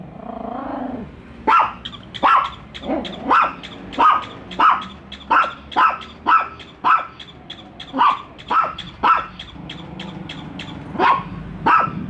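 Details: Dogs Bico and Faith bark continuously at a toy dog during their first encounter; a long series of quick, sharp barks, roughly one per second after a brief low growl at the start.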